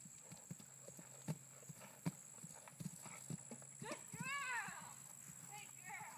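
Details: Female Percheron over a 3'9" jump for the first time: thudding hoofbeats at an irregular pace, then an excited rider's voice rising and falling loudly near the end, above a steady hum.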